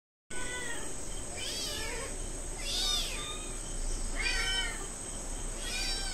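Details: Hungry cat and kittens meow insistently while waiting for food. High, rising-falling meows come about every one to one and a half seconds, with overlapping voices and a steady high-pitched hum behind them.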